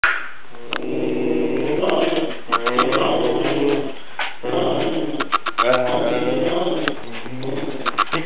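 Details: Bear, a calm Chihuahua, freaks out indoors at a sound his owner's partner makes, giving continuous harmonic growls and howl-like cries broken by sharp barks, with human voices mixed in.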